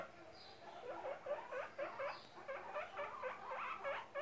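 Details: Short, rapid squeaky notes from baby guinea pig Charlote, happy and popcorning, come about four each second in a lively, slightly irregular run, with two faint high falling whistles early on.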